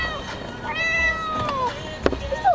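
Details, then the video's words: Cat riding in a carrier on the way to the vet, meowing often: a single long meow sliding downward, then clicks and a short sound, against car rumble and a soothing human voice. "meow cat meow to the meow vet"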